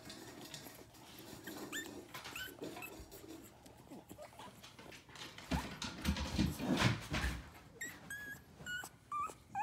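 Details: Several puppies piled together, recorded on June 10: soft, high, rising whimpers and squeaky yips scattered through the clip, growing more frequent near the end, over rustling, shuffling movement and low background noise.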